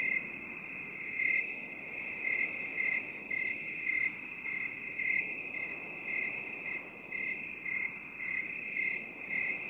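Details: Binaural 8D recording of a cricket. Regular high-pitched chirps repeat roughly twice per second, softer and slightly blurred, over a continuous shrill trilling background with faint hiss.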